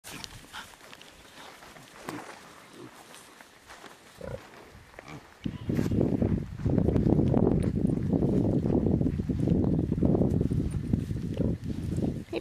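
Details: Large Black pigs grunting: quiet, scattered grunts at first, then after about five seconds a loud, dense, continuous chorus of low grunts and snorts from several animals.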